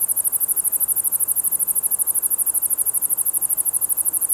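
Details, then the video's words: Ruspolia interrupta, a katydid that occurs in green and brown forms, singing a high, sharply pulsed buzz, about ten pulses a second in an even, unbroken train. Faint background hum sits beneath it. "왕매부리의 노래"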